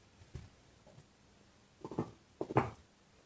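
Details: Dog gnawing on a bone in a small room: one soft crunch, a pause, then two close, louder bursts of crunching.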